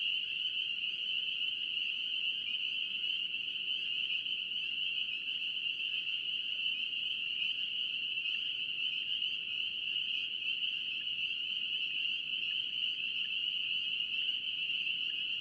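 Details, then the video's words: Spring peepers in North Carolina form a dense chorus: countless high, shrill peeps merge into a steady ringing band that never pauses, with fainter overtones above and a soft low rumble of background noise. "NC Peeper frogs"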